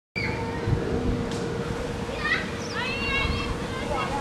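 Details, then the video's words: Meerkats at Lion Park, Chartwell, Africa, giving a quick series of stacked, sliding chirps that rise and fall, bunched mostly in the second half, over a steady low hum and background murmur. "Meerkats in Lion Park, Chartwell, Africa"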